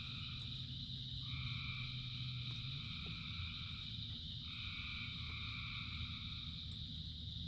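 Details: Crowds of frogs singing in rain: an even high-pitched drone throughout, with mid-pitched trilling choruses rising for stretches of about three seconds, over a constant low rain rumble.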